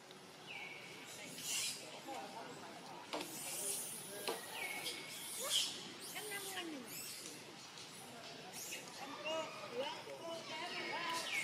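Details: Young monkey Eden near Angkor Wat, Cambodia, living wild, gives short cries again while being trained by grandmother Elsa: thin, high, steady-pitched wails lasting about a second, repeated several times, with rustling and scattered background noise.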